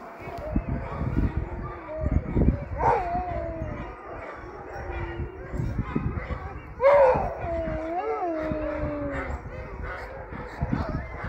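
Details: Sled dogs at a racing kennel mix barks and yelps with rising, then falling howls, a strong howl swelling near the middle and trailing off in a long downward glide while other dogs keep calling.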